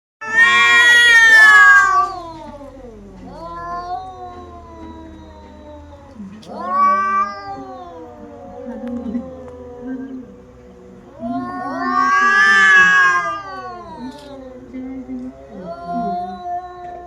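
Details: Two female domestic cats fighting: long wailing yowls that swell into loud, harsh screams near the start and again past the middle, with lower moaning growls drawn out between the outbursts.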